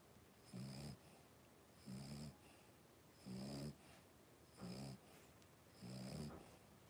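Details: Blenheim Cavalier King Charles Spaniel puppy from a litter of five, three weeks old, in an indoor puppy pen; soft, low, snuffling snore-like grunts repeat every second or so, quieter than surrounding room hiss peaks.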